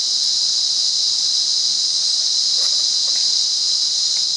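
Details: Cicada song recorded in the wild at Monaragala, Sri Lanka: a continuous shrill, hissing whine at constant intensity, with a couple of faint soft clicks near the middle.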